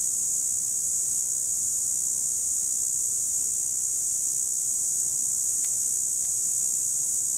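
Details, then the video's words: A high, monotonous buzzing of cicadas from 2017 runs without a break, with a couple of faint ticks late in the recording. "Цикады 2017 / Cicadas"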